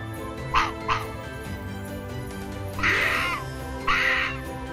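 Arctic fox giving two quick, sharp yaps, then two longer, hoarse barks about a second apart, with steady background music throughout.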